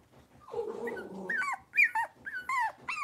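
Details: Blenheim Cavalier King Charles Spaniel puppies from a litter of five in an indoor puppy pen: a low, rough growling whine, then a quick run of high, downward-sliding yelps, about four in under two seconds.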